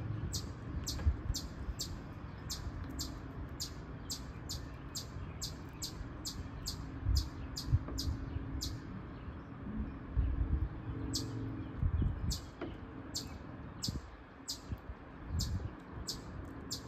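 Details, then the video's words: A noisy chipmunk gives a long run of sharp, high chips, repeated steadily about twice a second with brief pauses, over a constant low rumble. "a noisy chipmunk"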